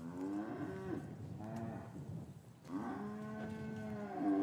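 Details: Cows lowing in an English cattle yard on a winter's afternoon, calves separated from their mothers; two long, deep, harmonic moos, the second steadier and drawn out, with a faint murmur of the yard behind.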